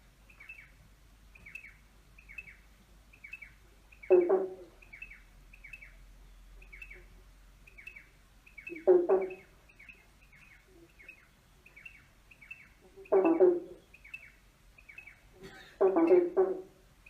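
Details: Frogs croaking under a bridge: low, grating croaks in short bursts roughly every four seconds, each under a second, over a quick, even series of high chirping clicks repeated several times a second.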